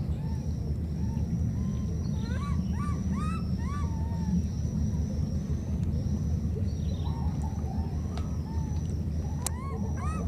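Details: Two baby monkeys separated by a flood call to each other with thin, rising squeals in short bursts over a heavy roar of rushing water.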